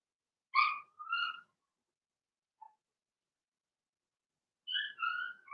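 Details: Blenheim Cavalier King Charles Spaniel puppies from Remy's first litter of six, two girls and four boys, in a home puppy pen during potty training. Two high harmonic squealing whines, a tiny chirp, then a pair of rising-falling whines near the end.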